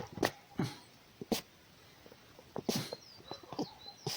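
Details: Wild red fox named Markiza scolding, expressing displeasure: short harsh grumbling yelps and rasping bursts in uneven clusters, with quiet gaps between, a few faint high bird whistles in the background.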